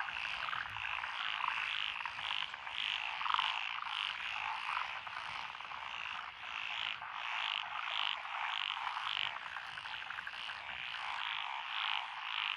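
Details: Nighttime-style frog chorus in lotus rice paddies, Echizen City, Fukui, Japan, June 2021; dense pulsing croaks, over a hundred per minute, with many frogs overlapping and occasional louder individual calls rising above the mass.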